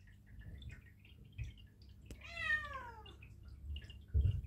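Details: Perdoll kitten, one of two eight-month-old kittens named Blu and Misty, on the trip to the vet for neutering: a single drawn-out, falling meow lasting about a second, with faint rustling and a thump after it indoors.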